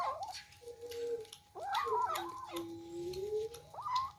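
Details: Kittens competing over their first meal of rice and fish: steady, flat drawn-out meows and sharper rising cries from more than one kitten overlap, with eating clicks in the background.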